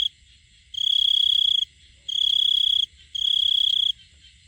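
A male cricket sings in steady, high trilled bursts, each close to a second long, calling for a female.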